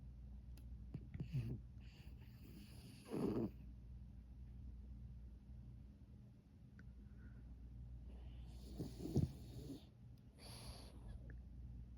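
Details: Sleeping pug snoring softly: low rumbling breaths, with two louder snorting snores around three and nine seconds over a steady low hum.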